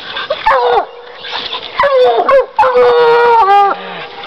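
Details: Bluetick Coonhound treeing: short choppy barks, then a sustained, level howling bawl lasting over a second before breaking off, over a low background murmur.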